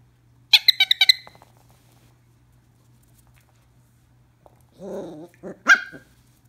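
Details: Two-month-old Scottish Terrier puppy playing with his ball gives a quick burst of six high, sharp yips, then after a pause a person's voice and a short yelp.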